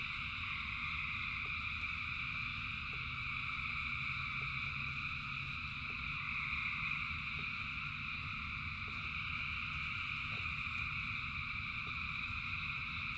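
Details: Massed frog chorus during rain, thousands of callers merging into a constant high-pitched trilling drone, accompanied by low rumble and occasional soft raindrop clicks.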